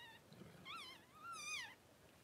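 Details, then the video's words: Cavalier King Charles Spaniel indoors during a litter of six puppies born within two hours: a short high whimper, then two wavering whining cries with rich harmonics, the last one longer, rising and then falling away. "Cavalier Gives Birth to 6 Puppies in 2 hours"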